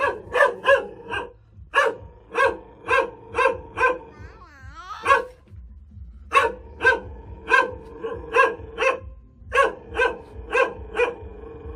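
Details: Caged hunting dog barking steadily in quick runs of sharp, evenly spaced barks, about twenty in all, interrupted midway by a brief wavering whine before the barking resumes.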